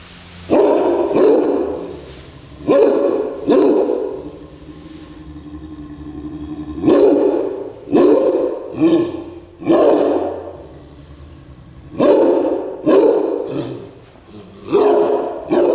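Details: Cairn Terrier described as ferocious, barking in bursts: loud, harsh barks in clusters of two to four, separated by short pauses, with some growly, rasping edges between volleys.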